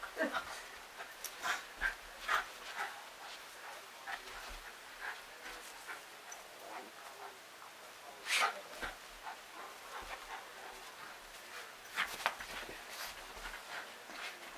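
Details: Jack Russell Terrier going straight for the kill on a stuffed tiger, making irregular snuffling, growly bursts and breathy huffs, a few louder snorts standing out amid soft panting and faint background voice.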